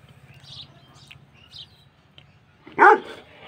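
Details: A Bully Kutta (Pakistani Mastiff) puppy gives one sharp, fairly high-pitched bark after a quiet stretch.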